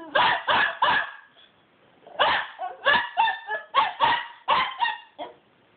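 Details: A pet dog, described as being naughty, crying: three quick whining yelps, a pause, then a rapid run of about nine sharper yelps and whines with clear tonal harmonics, in an otherwise quiet room.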